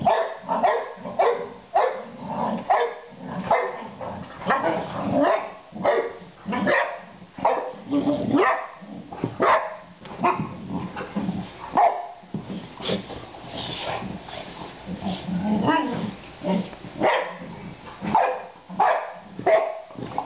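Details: Three pet Boxer dogs barking nonstop. Short, punchy barks repeat roughly every half second to second in uneven runs, sometimes overlapping as several dogs bark together, with a few quieter gaps and faint voices.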